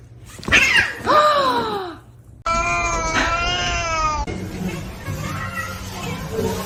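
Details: Kitten crying with two loud meows that rise sharply and then slide down, about half a second apart. Abrupt cuts follow to a steady, rich cry and then quieter, noisy mewing.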